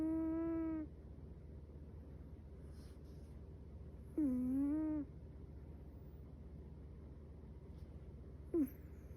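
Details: Chihuahua puppy named Metaru, asleep, snoring in squeaky nasal tones: three short whistled breaths, each under a second, spaced about four seconds apart, over a steady low indoor hum.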